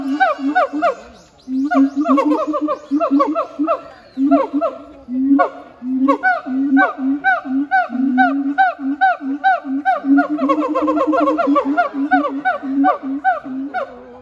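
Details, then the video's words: Siamangs Heart and Brave in a duet at Chiba Zoological Park on 12 November 2022: a steady run of low booming notes repeated about twice a second, layered with rising and falling whooping notes that speed into rapid barking bursts. "ハートさんとブレイブくんのミュージカル！ フクロテナガザル"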